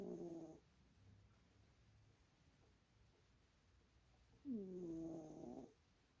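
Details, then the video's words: A sleeping cat snoring indoors: two nasal, whistling snores about four seconds apart, each a tonal hum of roughly a second, with near silence between breaths. "snoring cat"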